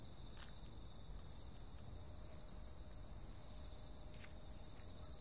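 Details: Insects calling on a summer night: a dense, steady high-pitched chorus of continuous shrill trills layered at several pitches. A couple of brief soft clicks break through, with a faint low rumble beneath.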